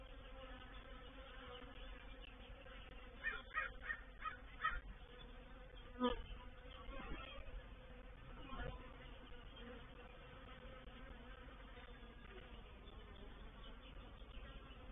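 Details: Honey bees of a reproductive swarm settling into a swarm trap at Painted Peacock Manor, 04/07/21; an even buzzing drone runs throughout, broken by scattered clicks and brief louder taps around the middle.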